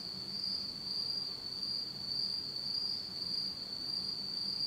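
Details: On an autumn night in Japan, in total darkness, insects keep up an even, shrill high-pitched trill, lightly pulsing about twice a second, over a faint low background hum.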